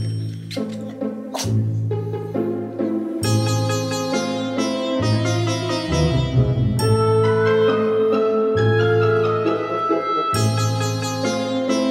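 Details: Gentle instrumental music of plucked and struck melodic notes over a low bass line, with no animal sounds.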